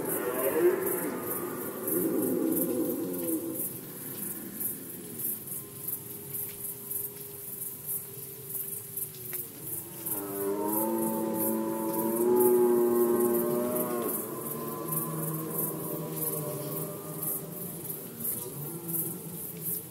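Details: Red deer rut season in Poland, 2020: a rough opening roar, then a long level drone, followed by a rich, layered roar with many clear harmonics, and a faint high ticking pulse throughout.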